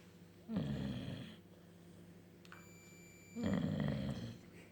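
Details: Slumbering bulldog producing two gravelly, growl-like snores about three seconds apart, a faint high electronic tone between them.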